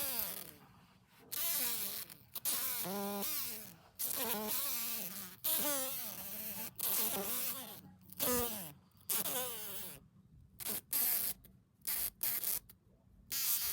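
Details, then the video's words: Green fly caught by hand indoors after flying into a house, held while being carried outside; loud, harsh buzzing in irregular bursts of one to two seconds with wavering, sweeping pitch, broken by short silences. "Звук жужжания зеленой мухи в руках | Fly buzzing sound"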